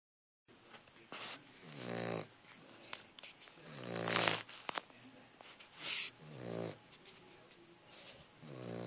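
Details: Roxy, a sleeping Cavalier King Charles Spaniel puppy, snores in harmonic, nasal rumbles that recur roughly every one to two seconds, with faint clicks and small indoor noises between breaths.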